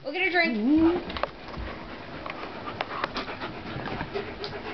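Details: Two dogs play fighting, a pitbull named Corona and a German Shepherd named Warlock. A brief wavering, tonal whine opens, then steady fast panting and rustling continue to the end.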